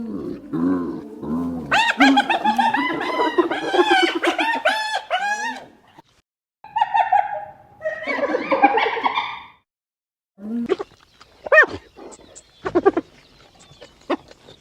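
A spotted hyena gives a rapid, high-pitched giggling laugh of stacked, bouncing notes.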